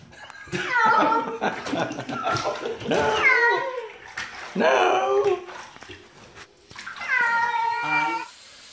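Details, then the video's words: Domestic cat giving a string of loud, harmonic meows, several sweeping downward and one strained and rising, spaced a second or two apart, while a person talks nearby indoors. "Crazy Weird Cat Noises"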